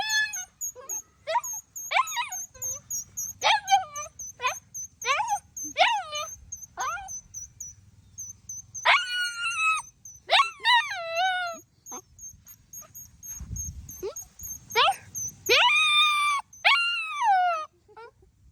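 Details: Dog howling in response to the sound of a flower blown like a whistle. Repeated wailing cries with rich harmonics slide downward, some rising first, in bursts over the recording, alongside a steady high whistle-like tone, occasional speech and outdoor rural ambience.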